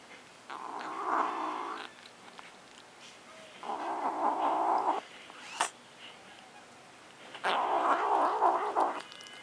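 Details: Domestic cat named Luna guarding her macaroni and cheese, giving three harsh growling yowls of one to one and a half seconds each, separated by short quiet gaps, with a faint clink between the second and third.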